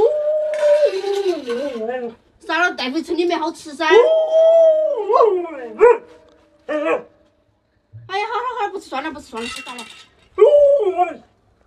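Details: Alaskan Malamute named 洛洛 (Luoluo), kept as a pet, protective of chicks and stopping its owner from touching them; indoors, howling in long wavering, rising-and-falling yowls broken into several bursts, with speech mixed in.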